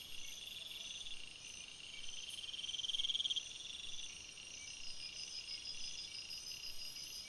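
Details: Crickets calling at night in a forest: continuous high shrill bands of sound, with a rapid pulsed trill growing louder mid-way then fading, over a steady insect chorus.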